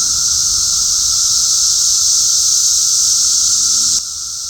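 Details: Cicadas droning in a dense chorus, a steady high hissing buzz whose loudness swells slightly up and down before dropping sharply in level near the end.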